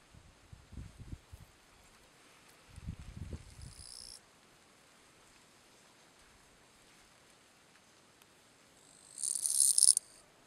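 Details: Letea, Romania, September 2012: a Gampsocleis schelkovnikovae bush-cricket gives its calling song. A faint high hiss comes first, then a louder shrill pulsed buzz lasting about a second near the end, with soft low rustling earlier.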